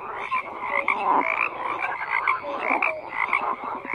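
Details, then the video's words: A chorus of frogs: layered croaks and rapid rattles pile up continuously, with brief tonal notes sprinkled through and the loudness swelling and dipping every second or so. "FROGS CROAKING"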